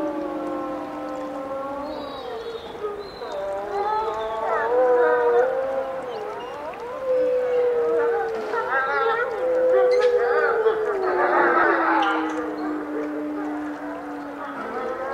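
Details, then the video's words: Wolves howling together: several long, overlapping drawn-out howls that waver gently in pitch, with one voice sliding slowly downward and holding low through the final seconds. "Wolf Song"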